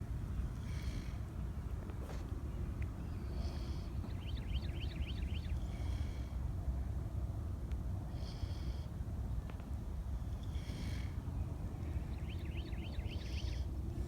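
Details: Kunekune pigs PorkChop and Petunia napping in the sun on a farm, snoring: breathy, hissing snores recur every second or two over a steady low rumble, with short trilled bird chirps between them.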